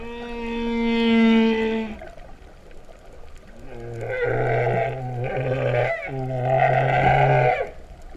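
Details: Underwater humpback whale song at Vava'u, Kingdom of Tonga, 2015, cow-like in character: a clear tonal moan with stacked harmonics, then a pause and two buzzy, pulsed low moans.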